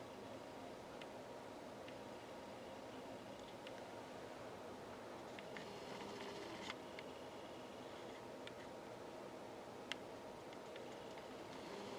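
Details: Quiet indoor room hiss with a faint fan-like hum and occasional soft clicks and rustles.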